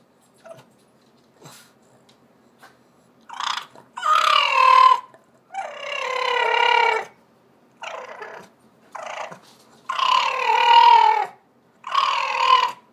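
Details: Brutus, a 14-year-old Boston terrier, vocal and hungry: drawn-out moaning, grumbling howls of about a second each, alternating with short yips and grunts in uneven bursts, in a quiet indoor space.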